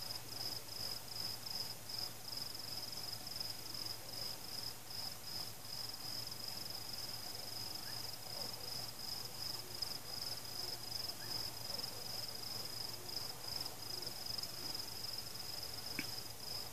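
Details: Crickets keep up a thin, high, rhythmically pulsing chorus through a long stretch of night during a fireworks celebration. Faint booms sit underneath and a sharp pop comes near the close. No people, pets, music or cars.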